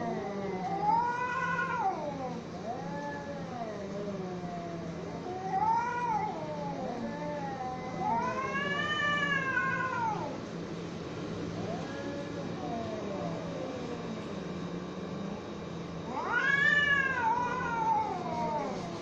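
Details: Cats in a fight trade long wavering caterwauls, arching up and down in pitch and coming in repeated bouts with brief pauses, over a low constant hum.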